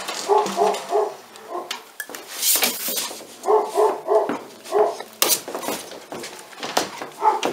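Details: Pyrenean Mountain Dog puppies, a 46-day-old litter (A6) at La Borda d'Urtx breeding centre in Cerdanya, Catalan Pyrenees, give short harmonic yips and whimpers in quick clusters, with shuffling and scuffling noises between them.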